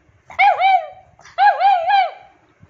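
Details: Ju, an elderly rescued female pug aged nine, demanding attention with two drawn-out vocal bursts, each made of warbling, dipping and rising tones joined together, in a quiet indoor room.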